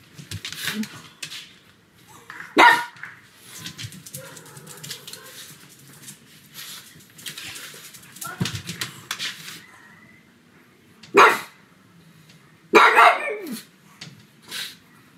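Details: Pug barking at home on a sunny afternoon, with much handling noise and rustling. Isolated sharp barks come at irregular intervals, ending in a harsher double bark and a softer yap.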